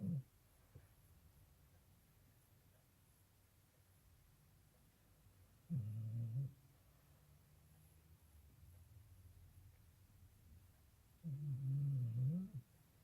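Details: Loud snoring from a sleeping American Bully dog indoors. Deep, buzzing snores come roughly every five to six seconds, three in all, each about half a second long. Quiet breathing fills the gaps.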